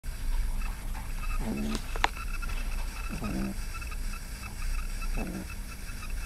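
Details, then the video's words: Yoda, an 11-week-old pug puppy, snoring: three soft, low, buzzing snores spread over six seconds against a steady background hum. "Yoda (11 weeks pug puppy) is snoring"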